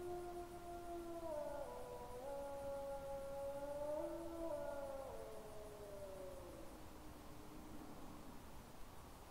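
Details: On a camera trap at about 21:09–21:11 on 20 September 2022, a gray wolf howls close by in long, smooth, wavering tones while a second wolf answers faintly from the distance.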